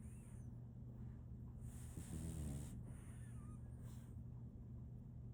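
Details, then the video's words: Female French Bulldog puppy Solaimy sleeping: a short, rattling, low snort midway between hissing breaths, with a quiet steady hum throughout. "RONQUIDO de un French Bulldog"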